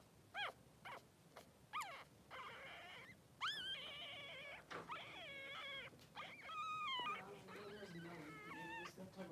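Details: Newborn Blenheim Cavalier King Charles Spaniel puppies, two boys aged three days, kept with mother Pom-Pom in a puppy pen. Sharp high yelps open into long wavering whines and overlapping cries, almost continuous.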